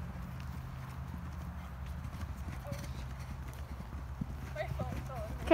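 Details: Green Thoroughbred mares, recently retired from racing, schooling over jumps at an off-property jump school on about their fifth time jumping; a steady run of soft, rapid hoof thuds, with people talking throughout and a brief voice rising at the end.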